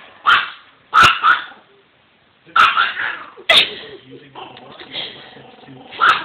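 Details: Pet dog barking furiously at an old doll head, angry because it hates people it does not know; sharp loud barks in bursts, some doubled, with a person speaking softly between.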